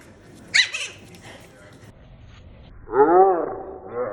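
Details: An apple-head Chihuahua puppy gives a sharp high yip, then a longer whining cry that rises and falls.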